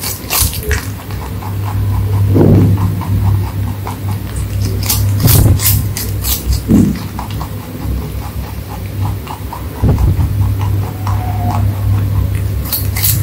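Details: Rabbit eating crunchy food, with irregular runs of crisp snapping chews that come in clusters and some louder crackles, over a constant low hum and a brief faint squeak near the end.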